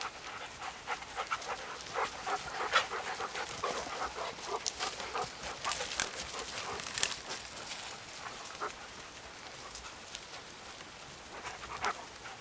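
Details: Dog panting hard during a training session in the Vestfjellet mountains, with rapid, irregular breathy puffs near three per second, strongest in the first half before easing off, alongside a few sharper rustling clicks.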